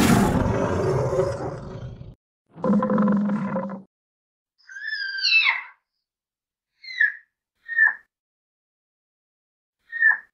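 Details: A tiger gives a deep, rasping roar and a moaning growl, followed by short high squeaky mews, likely from cubs.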